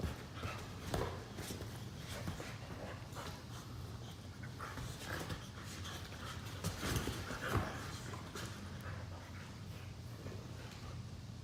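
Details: Pair of Boxer dogs tugging and wrestling lazily on a couch indoors. Heavy rhythmic breathing and scattered huffs rise and fall, with louder bursts around seven seconds and soft rustling underneath.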